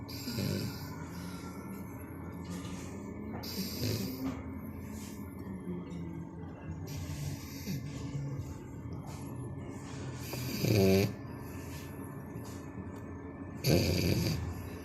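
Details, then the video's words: Canon, a four-month-old French Bulldog, asleep and snoring: irregular low, grating snores every few seconds, the loudest two near the end, with faint wheezy breathing in the gaps. "Bulldog francés roncando la mona"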